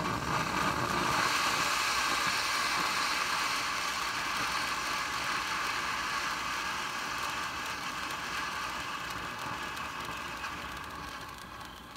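Steady splashing, hissing water noise with a faint mechanical rattle, and no animal voice.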